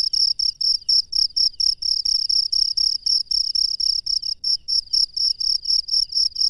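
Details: Cricket chirping at night in the wild, a piercing high trill chopped into regular short bursts about two per second, steady and unbroken, with near silence otherwise.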